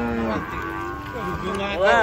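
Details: Cattle being unloaded from a truck, startled during the unloading. A brief, level moo with stacked harmonics, mixed with human voices nearby.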